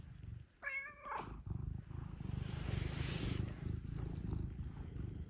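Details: Household cats, blue and brown Scottish folds plus a blue British shorthair, coming early to wake their owner; a short harmonic meow opens, followed by a close, even rumbling purr lasting to the end.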